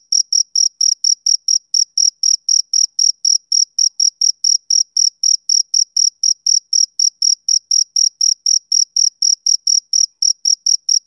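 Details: Steady high-pitched chirps from a male cricket on a summer evening, around forty-four short pulses across eleven seconds, evenly spaced, with nothing else audible.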